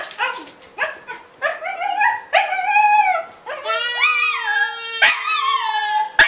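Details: A pet Welsh Terrier sings along with a baby in a room. Several short rising and falling yowls come first, then one long drawn-out howl with wavering overtones. Sharp clicks and the baby's voice are heard nearby.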